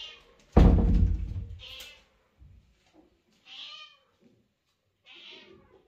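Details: Sociable mother cat indoors, meowing and talking to her kitten and owner: a heavy thump, then three separate harmonic meows spaced about two seconds apart, each short and slightly falling.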